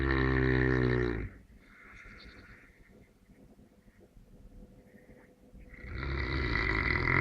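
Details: Neapolitan Mastiff snoring in sleep: a deep buzzing breath at the start, a quiet lull, then a second rough rasping snore swelling at the close.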